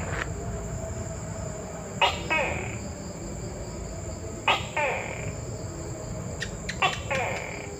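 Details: Repeated two-syllable calls of a Tokay gecko: a sudden loud click, then a drawn-out hoarse note. Three call pairs arrive roughly every two and a half seconds against constant high-pitched droning and low murmur.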